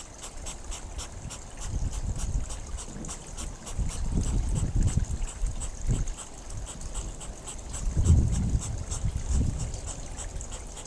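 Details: Courting hedgehogs give rapid repeated breathy snorts, several per second, over the low rushing gurgle of a babbling pond that swells and fades in the background.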